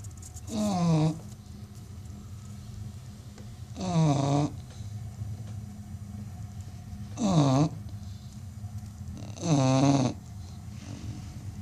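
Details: Loud snoring from an American Bully, described as one of the loudest snoring dogs in the world: four harsh, rasping snores with a wavering nasal whine, spaced roughly three seconds apart, with a low indoor rumble between breaths.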